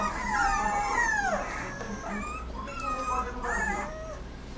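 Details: Rottweiler puppy making plaintive, drawn-out whines that curve downward and then repeat in softer, shorter bursts over a steady low background hum.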